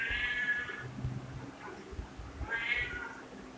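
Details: Two soft meows from a domestic cat, one at the start and one near the end, separated by a pause filled with low background rumble and faint noise.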